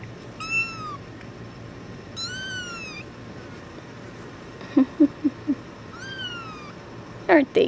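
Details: Badger, a tuxedo kitten, meows when held: three loud, clear meows near 0.5, 2.3 and 6.3 seconds, each arching slightly with rich harmonics, plus soft clicking taps and a brief rustle near the end.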